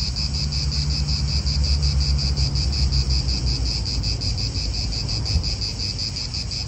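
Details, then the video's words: In a park in Italy, cicadas keep up a bright, throbbing buzz that swells in rapid regular pulses, while wind and faint vehicle noise fill the low background. "Cicadas wind real atmosphere in an Italian park"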